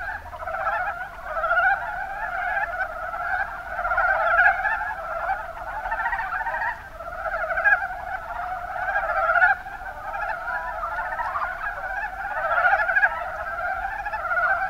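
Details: Mountain brown frogs, Rana ornativentris, in the Kuma Basin of Kumamoto, Japan: a dense chorus of overlapping, rapidly pulsed chuckling croaks forming a continuous mid-pitched band, swelling and easing every few seconds.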